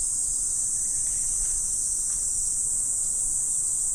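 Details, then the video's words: Autumn insect chorus at morning: a thin, constant, sizzling high drone over a faint low rumble. "Morning Insect Sound Effect"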